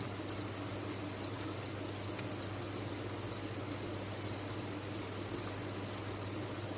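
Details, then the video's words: Crowded crickets on a cricket farm chirp as one steady, piercing high trill, individual pulses faintly flickering within the even wall of sound, low hum underneath. "Sound of a Cricket Farm"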